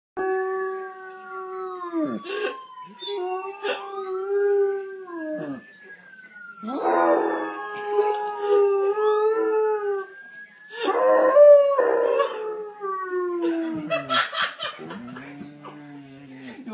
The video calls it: Bernese mountain dog howling